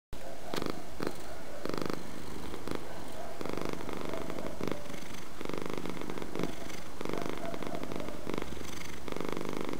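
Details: Domestic cat purring steadily and close, a low rumbling drone broken into regular pulses that swell and fade about every second as the cat breathes in and out; no other clear sounds.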